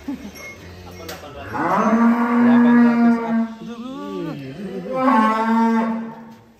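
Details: Cattle on a farm, one of three cows shown as unusual attractions: a long, deep, steady moo that begins about a second and a half in, dips briefly in pitch midway, then swells again before fading.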